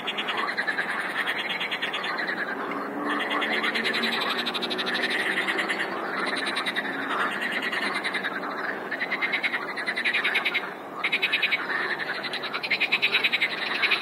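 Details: Frogs in full chorus, numerous callers overlapping in a relentless rattling drone, rapid pulsed trills rising and falling in waves, with short gaps where single rattles stand out near the end.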